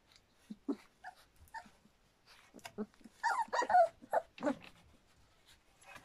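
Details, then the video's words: Standard Poodle puppies just over three weeks old, a litter at Cantope Standard Poodles, giving soft scattered whimpers and squeaks that cluster into a busier burst of yelps midway, then fade to faint squeaks. "River's Pups - 3wks & 3 days"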